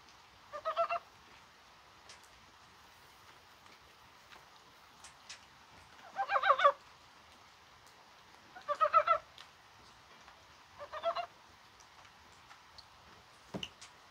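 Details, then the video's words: Mountain frog calling on a mild, spring-like January 21 in falling rain; four separate bursts of rapid, pulsed chuckling croaks, each about half a second long, spaced two to three seconds apart over a faint background hiss. "개구리가 울어요"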